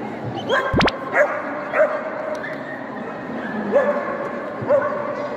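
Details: Barking during a JKC 2022 Border Collie agility trial held 3 December at Dragon Hat, Shiga, Japan: four or five short, clipped barks spaced about a second apart, a brief shrill whistle near the start, and constant indoor crowd noise.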